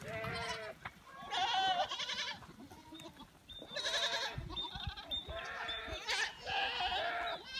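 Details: Goats being turned loose in the Dominican Republic countryside, a herd bleating in overlapping wavering cries, several long quavering calls in quick succession with short pauses between bursts.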